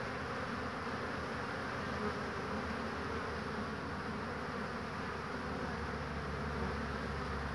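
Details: Busy honey bees at a hive on 22 March 2019, a warm spring day with willows in bloom, expected to bring in pollen; thick continuous humming buzz from many flying bees, steady in loudness.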